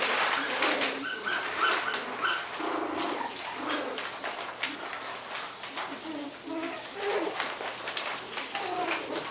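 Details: Coton de Tulear puppies, three and a half weeks old, playing indoors; a busy run of high squeaky whimpers and yelps, many short calls about every half second, over scuffling and clicking sounds.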